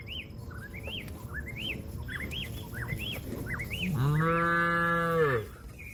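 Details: Cattle calling a companion that is eating grass to return to the barn; a steady, level moo lasting over a second comes after a run of rising-falling bird whistles.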